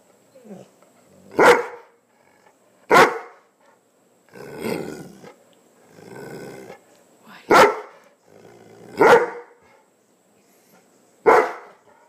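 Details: A female Greater Swiss Mountain Dog barks sharply every couple of seconds in protest, wanting some of her owner's breakfast.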